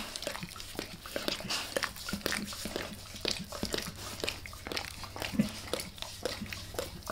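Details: Indoor ASMR of the dog Max licking a person's face: moist tongue laps and sharp little smacks in quick uneven bursts over a quiet low hum, with no voices.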